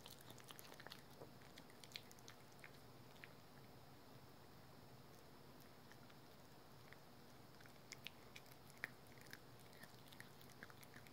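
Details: Rookie, a pet dog at home, gnawing on a dental chew: quiet, scattered crunchy clicks and small bites over a low steady indoor hum.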